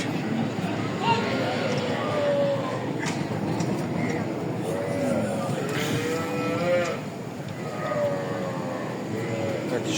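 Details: A cow (milch cow) bought at Raniganj market, Ghoraghat upazila, by a Comilla farmer lows several times in wavering, drawn-out moos amid the busy noise of the cattle market, with voices and other sounds around.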